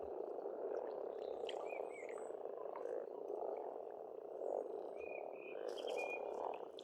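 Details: Springtime frog chorus from a pond in Estonia, continuous throaty croaking with swells, joined by a few birds giving short whistled notes and chirps.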